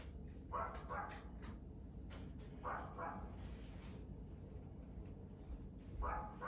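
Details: Dog barking in short bursts: two quick barks, a pause, a third, then a last bark after a longer gap, all set against a continuous low hum.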